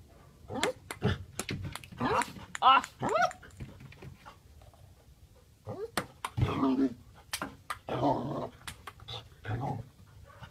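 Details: Australian Shepherd playing table tennis indoors in a small room: short growly yips and a wavering, harmonic whine in bursts, mixed with sharp ball clicks and nearby voices.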